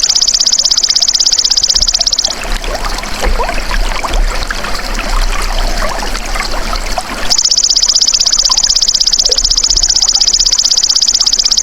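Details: Golden grasshopper (belalang emas) calling, used as masteran for songbirds: a rapid, high-pitched pulsed buzz of about four pulses a second. It runs for two seconds, breaks into a soft trickling, rustling stretch, then resumes steadily to the end.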